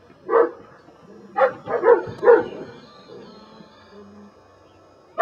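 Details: Brujo, a des Champs Belgian Malinois in Mexico, trains in control for personal protection. He fires off one sharp bark, then after a pause three more in rapid succession, before falling quiet.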